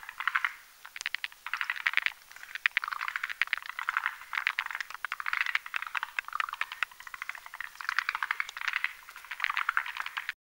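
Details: At night above a marshy mountain pond, several forest green tree frogs croak while whipping a foam nest for egg laying; dense rattling trains of clicks in short bursts about every second, overlapping voices throughout.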